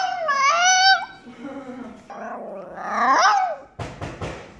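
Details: A Chihuahua begs for chicken with high, wavering whines that sound almost like a cat's meow.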